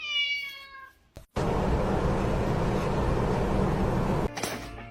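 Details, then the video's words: A kitten gives a single drawn-out, clear, tonal meow lasting about a second, steady then fading, followed by a sudden burst of loud, broad rumbling noise that fills the rest of the recording. "kitten meowing call"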